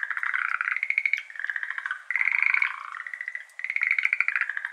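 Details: Schlegel's green tree frogs, a Japan-endemic species, calling at 6:53 pm on 17 May 2022 in a flooded iris garden, recorded binaurally with an ambisonic microphone; several overlapping trains of rapid rattling pulses, loud bursts about a second long.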